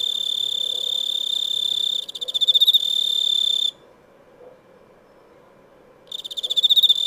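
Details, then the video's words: Cricket chirping with a shrill, high, sustained trill broken by bursts of rapid pulses. The trill stops abruptly for over two seconds of near silence, then resumes with fast pulsing chirps. "Cricket sound ( Insect ) | Chirping Cricket"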